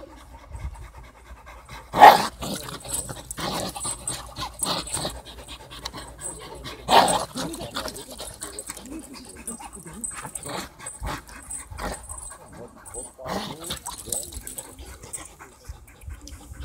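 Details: An English Bull Terrier playing tug of war pants heavily, with a few sharp, loud snorting huffs.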